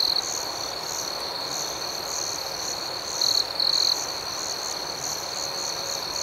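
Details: Soothing night chorus of crickets, a shrill steady trill with faint pulsing overtones, rising into one louder chirping burst midway before settling back.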